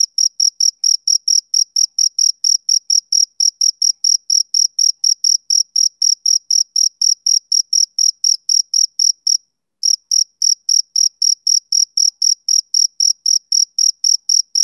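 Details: Male cricket on a summer evening, chirping steadily about four times a second: short, shrill, high pulses, with one brief pause near the middle before the rhythm resumes. Nothing else is audible.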